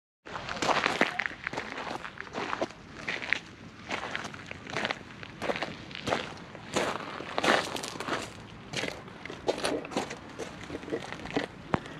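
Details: Crunching footsteps and rustling outdoors, repeated bursts of gravel-like crackle, with brief faint voices and no animal call.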